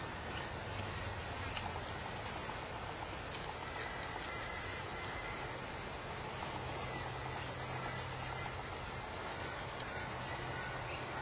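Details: High, unbroken ringing trill from a cricket with a vivid green underside, steady throughout, with faint low hum in the background.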